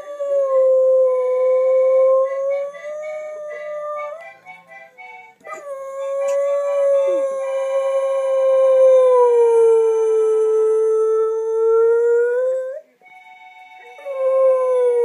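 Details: Jessie, a dog, howls along to her own recording played back: long, sustained, smoothly wavering howls with rich overtones, paused briefly, over the replayed sound, which also carries howling.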